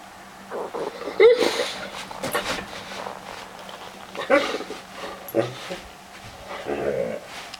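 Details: In the morning, a Weimaraner gives brief, high whines and yips in scattered bursts to rouse its owner from bed. A drowsy person mumbles sleepy protests between the calls, with rustling and faint music behind.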